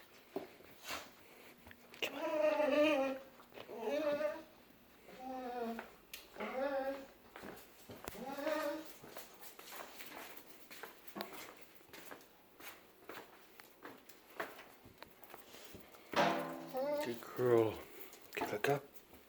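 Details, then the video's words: A dog whining indoors early in the morning: thin, high, wavering whines come in short bursts, several in a row at first, then a quiet pause with soft room noises, then a rising and falling cluster of whines near the end. "dogs early am whining sounds"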